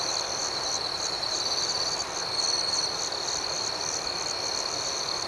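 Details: Crickets at night fill the air with an even, high-pitched pulsing drone of overlapping chirps, with a slightly louder swell around two and a half seconds and no other sounds.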